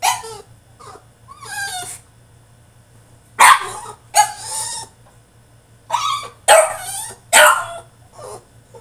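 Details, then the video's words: Caged French Bulldog throwing a tantrum, giving a string of strained, wavering whines and sharp yelps in irregular clusters, several loud harmonic cries in quick succession near the end, with a constant low hum in the background. "FRENCH BULLDOG THROWS TANTRUM IN HIS CAGE!!"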